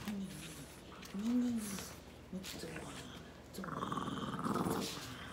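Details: Kiiro, a pet Boston Terrier at home on a heavy-rain day with thunder, gives a brief low whining groan that rises and falls, then softer grumbles, before a human voice talks over the end.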